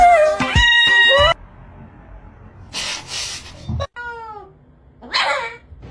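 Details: A cat gives a loud, harmonic meow lasting just over a second, then a shorter falling meow near four seconds, amid bursts of background music, noise and laughter.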